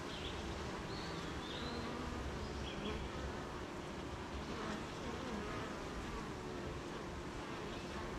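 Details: Rain hisses over the steady low hum of a honey bee hive on a wet morning, in countryside with gardens, farms and fields; faint thin bird whistles come and go early on.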